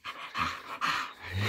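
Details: English bull terrier greeting its owner after being woken in the morning: three short, breathy, grumbling vocal bursts with low harmonics and panting-like noise, close to the microphone.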